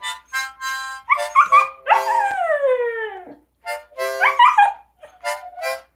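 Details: Siberian Huskies, including a female puppy learning to howl from her older sisters, give short, yodelling, overlapping howls that rise and wobble, with one drawn-out howl gliding from high to low, the voices taking turns.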